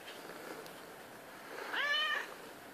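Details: Miss Masala, a 7-year-old domestic medium hair house cat, meows at 3:30 am demanding to be patted; a single short harmonic meow rises then falls late in the clip over quiet indoor room noise.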